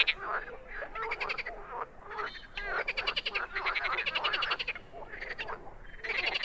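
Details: Wild frogs giving softer, uneven croaks, with raspy pulsed bursts rising and falling among quieter overlapping calls across a short stretch.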